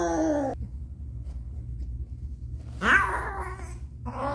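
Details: Domestic cat named Caramel giving birth indoors in a small room, one kitten born with a foot disability; a harmonic meow opens, a rising strained cry follows near the three-second mark, and another meow begins at the end, over a steady low hum.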